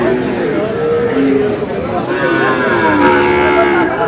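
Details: Sahiwal bull calves for sale at a busy market serving Dhaka farmers; several long, tonal moos glide slowly downward one after another, overlapping steady human chatter and crowd murmur throughout.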